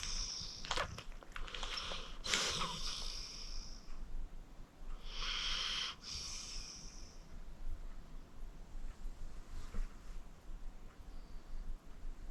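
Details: Acorn, a 14-year-old rescued senior pit bull adopted from the Cuyahoga County Animal Shelter, sleeping deeply: a few raspy, hissing breath bursts with wheezy snorts near the start and middle, then quieter breathing.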